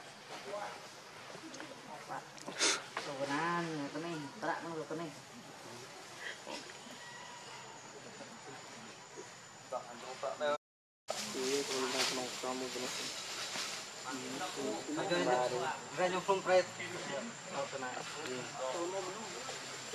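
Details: Hungry baby monkey, very angry and needing milk, begging its mother: wavering, harmonic cries in bursts early on and again in the second half, with a short silent gap, steady insect hum behind.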